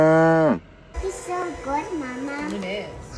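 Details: Cow calls recorded in November 2021: a short, steady low moo that bends downward in pitch as it ends, followed by people talking.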